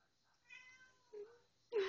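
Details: Pet cat said to have gone nuts, in a home with other cats: a soft, high, drawn-out mew followed by two shorter, louder mews, with a person talking around it.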